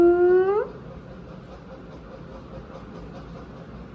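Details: Four-day-old kittens at play with their mother cat, a domestic cat family indoors: a single drawn-out mew gliding upward for over half a second, low steady background hum, and the start of another call at the very end.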